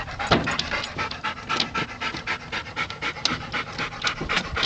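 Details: Yellow Labrador Retrievers in the back of a pickup truck after a fight, heard as fast, steady, noisy panting breaths, about four per second, rising and falling in loudness with no other clear sounds.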